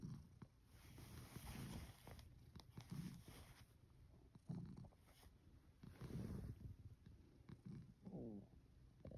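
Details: Male rescue cat Satchan sleeping under the futon covers at night, his fourth night at Kazeno Kobo, purring softly: low rumbling pulses swell and fade roughly every second and a half with breathing, with faint rustling and a brief higher tone near the end.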